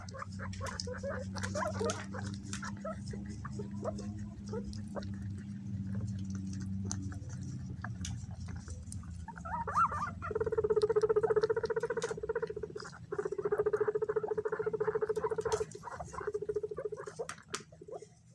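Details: Guinea pigs scrambling and fighting over bananas give sustained, whining mid-pitched squeals over steady scrabbling and clicking; the owner says they raise their voices when something approaches, perhaps from shyness or fear.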